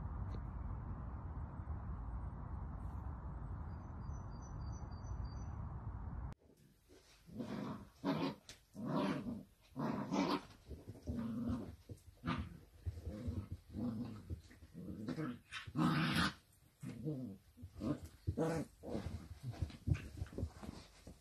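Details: Miniature dachshund at play: after about six seconds of steady low hum, a run of rough, growly bursts with tonal overtones follows, repeated irregularly every half second to a second.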